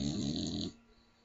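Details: A little female Staffordshire Bull Terrier snores very loudly, a rough rattling breath that stops abruptly as she is woken up.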